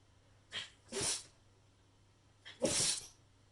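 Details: Shiba Inu dog sneezing unusually often indoors: three sharp, breathy bursts, two quick ones close together and a third stronger sneeze about a second and a half later, against a quiet low hum.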